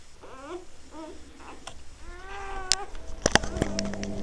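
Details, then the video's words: Newborn Labrador Retriever puppies giving short squeaky whimpers, a few brief falling cries followed by one longer drawn-out whine, then sharp clicks and knocks close by. "newborn labrador puppies"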